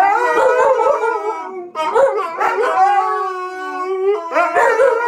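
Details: Several huskies and husky mixes, one dog among them not a husky, howling together. Overlapping long, tonal, wavering howls with rich overtones, some sliding downward, pause briefly near two seconds, then swell again toward the end.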